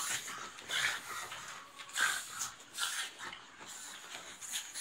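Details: Pugs in playful fighting, with raspy snorting bursts and breathy huffs roughly once a second, rising and falling unevenly, amid light scuffling noise.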